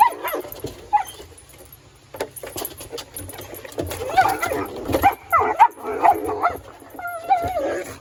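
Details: A playful Collie, Mr. Speckles, on a backyard playground with his favorite ball makes a run of excited whines and sharp yips that rise and fall, growing louder toward the end, with speech mixed in.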